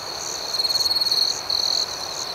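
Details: Cricket at night giving a close, loud pulsed trill of quick beats, a longer run then a shorter one, over a fainter background chorus of more crickets.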